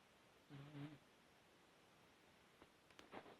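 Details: A sleeping dog snores once, a short buzzy, low droning breath about half a second long, followed by quiet and a fainter, brief rasp near the end in a hushed indoor room.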